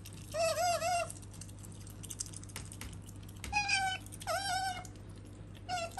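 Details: Pet female otter kept indoors with a cat, vocalising in a way her owner likens to speech. Wavering, squeaky whining calls rich in overtones come in short bursts, about three calls over six seconds, with quiet room hum between.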